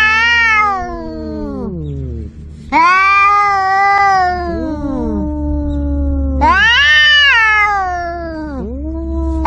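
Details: Cat caterwauling, presented as an angry male and a kitten calling its mother; three long harmonic wails about every three to four seconds, each ending in a downward slide, with overlapping lower moans over a steady low hum.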